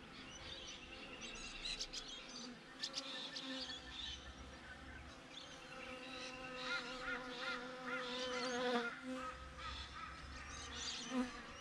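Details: Honey bees outside their hive, recorded on a GoPro: a steady droning hum with layered harmonic bands that waver in pitch, and scattered high chirps of other birds above the buzz.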